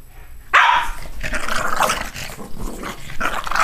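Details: Two dogs play fighting one morning, one rolling onto its back to bite; a sudden loud bark-growl opens, followed by rough snarling and growling bursts amid scuffling.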